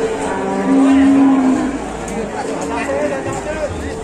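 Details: Cattle lowing in a steady, drawn-out moo lasting nearly a second, low and even in pitch, over a background of noisy rumble and faint chatter.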